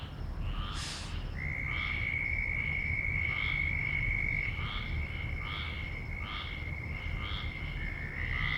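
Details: Loud frogs giving short, bright croaks repeated in a fast, slightly uneven series, with a steady high-pitched whine running underneath and a low rumble in the background.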